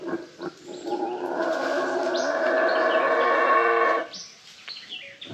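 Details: A Guatemalan black howler monkey roars from the trees overhead in jungle-like forest near Isla de Flores in northern Guatemala. It is a deep, rasping howl that swells and holds for several seconds, and another howler calls nearby.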